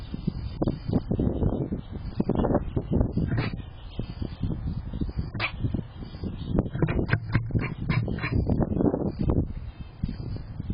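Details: Short, harsh barks from a chatty squirrel come in dense irregular bursts throughout, some louder and sharper than others, over a low background rumble.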